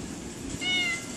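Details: Single short, level meow from a cat in cold, rainy weather, rising out of a low rumbling background.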